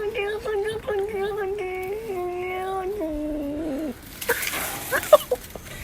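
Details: A frightened grey house cat stuck on top of a garden fence in Hoofddorp, Netherlands, on June 24, gives a long, wavering, drawn-out distress yowl that sags lower before breaking off.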